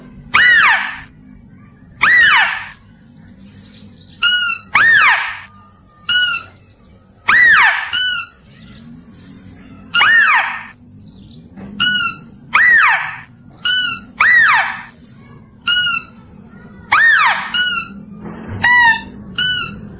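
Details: Mouse-deer luring calls in a clear voice: a steady series of arched, squealing cries, each rising and dropping, alternating with brief higher ringing notes roughly every second, against a faint low hum.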